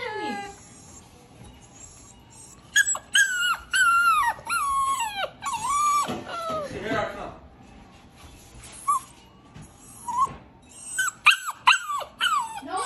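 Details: Cane Corso puppy in kennel training, unhappy about the kennel: high whines and whimpers sliding downward, in bursts with pauses, some yelps near the end; faint Spanish speech and music in the background.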